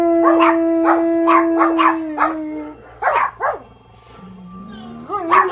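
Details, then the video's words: Hondo, a German Shepherd, howls along to the film Gravity in a long, steady, slightly falling tone, with the film sound in the background. "Dog howling with Sandra Bullock Gravity."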